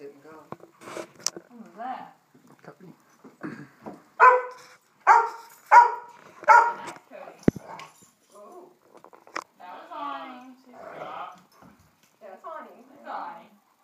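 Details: Domestic dogs, a Great Dane adopted two days earlier and German Shorthaired Pointers, playing together indoors; a run of four loud, evenly spaced barks mid-clip amid scattered yips and scuffling, with people talking and laughing.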